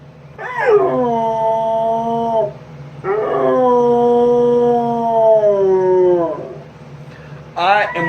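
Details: Dog arguing back at its owner with two long, drawn-out, harmonic howls, the first about two seconds and gently falling, the second about three seconds and slowly sinking, then a brief rising start at the end over a low steady hum.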